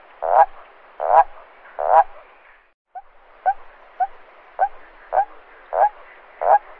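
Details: Nocturnal toad croaks, given to attract females or defend territory: three loud, drawn-out gurgling croaks, a brief silence, then a quieter run of six shorter croaks at a steady pace.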